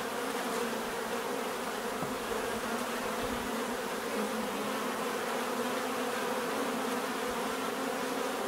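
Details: Bees giving a thick, unbroken buzzing drone, many overlapping wingbeat tones holding level throughout, with faint soft knocks around two and three seconds.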